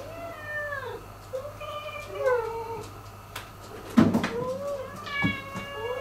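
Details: Domestic cats in a tense household relationship, where newcomer Miko took the territory and attacks the resident cat Turi. Several drawn-out, falling meows with clear overtones come in series, separated by short pauses. Soft thumps and a low room hum sit underneath.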